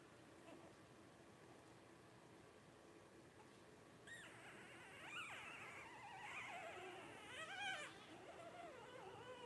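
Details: Twelve-day-old blenheim Cavalier King Charles Spaniel puppies from a litter of five, born around New Year 2023; after four quiet seconds, wavering high whines and squeals rise and fall, overlapping, with soft rustling indoors.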